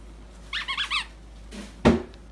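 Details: Pomsky named Luna, a female Pomeranian-Husky crossbreed dog recently adopted by a couple in Pennsylvania, heard indoors: four short, high, squeaky whining notes in quick succession, followed by a brief pause and a dull thump.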